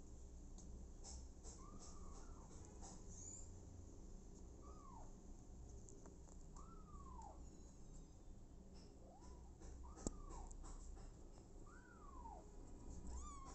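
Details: Abandoned kitten, later adopted by mother cat Smokey, giving about six thin, high mews. Each rises then falls and comes every one to two seconds, over a steady low rumble with scattered clicks and knocks.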